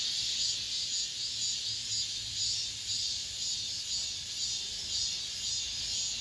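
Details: Apartment-complex cicadas at summer's end, the last song of the season: an unbroken high, sizzling drone throbbing about twice each second.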